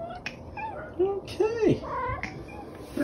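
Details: House cat talking back to its owner in the morning, a run of several short, bending meows rising and falling, over loud television noise in the room.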